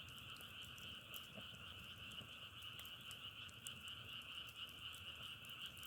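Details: Steady chorus of many frogs forms an unbroken, bright trilling hum with two layered pitches, with scattered crackling pops from a wood fire in the foreground.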